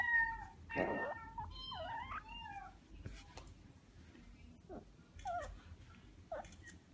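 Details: Two 8-day-old Amur leopard cubs, hand-raised after their mother stopped feeding them, give high, kitten-like mews, short wavering cries repeated at uneven intervals.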